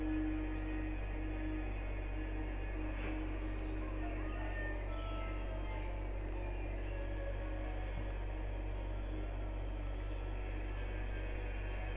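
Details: Steady music with a strong low hum fills the whole recording; no animal sound is heard.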